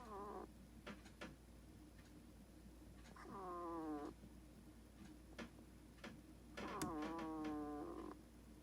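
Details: A pet hedgehog sleeping and snoring: tonal, whining notes with stacked overtones that fall and then level off, each about a second long, returning every few seconds in breathing rhythm, with soft clicks between.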